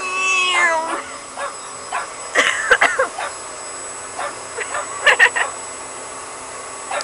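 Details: Bear, a Pug, reacting to a vacuum cleaner at home: a drawn-out whining whimper opens, then scattered sharp barks and yaps come in clusters, with the vacuum droning steadily underneath.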